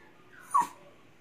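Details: Indoor pet Toy Poodle, male, pleading to be taken downstairs to pee while his owner talks with him: a single brief, high whimper, sharp at its peak and quickly fading, with quiet room background.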